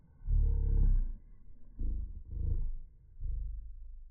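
A cocker spaniel's sneezes, slowed down into deep, drawn-out rumbling bursts.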